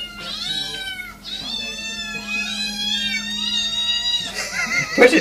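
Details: Domestic cat meowing in a funny compilation: drawn-out, wavering high meows run almost continuously over a steady low hum, ending in a brief noisy clatter.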